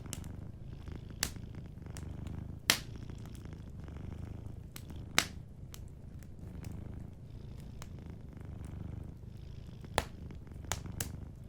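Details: Gentle purr of a sleeping cat beside a fireplace: an unbroken low rumble with faint pulsing, overlaid by occasional bright crackles from the fire, a few clear pops spaced several seconds apart.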